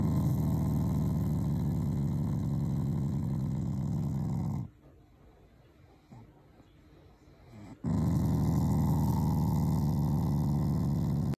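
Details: Shiba Inu, a family pet, growling affectionately rather than in anger while being fond of its owners; a continuous low rumbling growl fills the first four and a half seconds, pauses for about three seconds of near silence, then resumes steadily.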